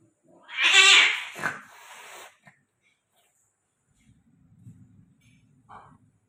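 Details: Persian cat, with a female, during mating in Gujranwala: one loud, strained yowl of about two seconds, rich in harmonics and wavering before it fades, followed by soft low rustling and a brief faint squeak.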